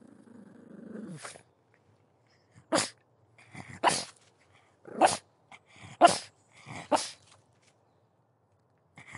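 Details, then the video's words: Pug barking: sharp broadband barks about once a second after an opening low growl, with short snorting sounds between barks. "Pug Dog Barking Sound Effect"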